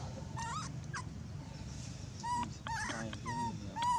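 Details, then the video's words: An abandoned monkey crying loudly: short, high, whining squeals rising and falling, given in uneven bursts. Quick chirpy notes mix in, over a steady low rumble of background noise. "abandoned monkey was crying very loud"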